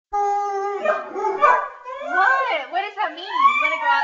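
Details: Saluki dog indoors vocalising as if talking, wanting to go outside; long wavering howl-like whines with rich stacked harmonics, rising and falling in pitch, a second lower voice-like wavy tone underneath.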